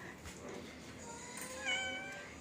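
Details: A pet cat, one of two cats sleeping near a Shih Tzu dog and not wanting to be watched, gives a short, thin, tonal meow with layered harmonics near the end, over soft indoor hiss.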